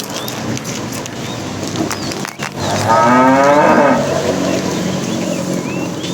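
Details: Tame cows herded in the morning toward green pasture, running happily. One drawn-out moo of about a second rises midway through steady, noisy background hiss, with faint bird chirps.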